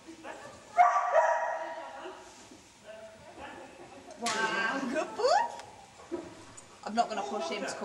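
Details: Liberty and Mulligan as puppies, 5 August: bright yelps and a rising, whining yip amid frequent speech and indoor handling noise.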